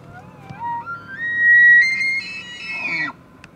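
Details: Bull elk bugling during the early rut in Canada's Rockies, one of the season's largest bulls; the pure whistle rises in steps from low to high, holds a long shrill note, then drops off abruptly with a brief grunt.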